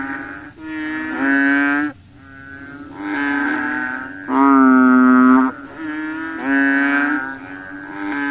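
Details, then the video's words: Croaking frogs on a mosquito-hunting night: loud, buzzy-toned, sustained calls repeated every second or two by more than one caller, close voices alternating with softer distant ones, a faint high hum underneath. "frogs look for mosquitoes at night, the sound of frogs"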